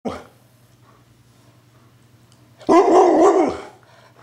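An Alaskan Malamute gives a drawn-out, warbling 'woo-woo' of the kind owners call talking.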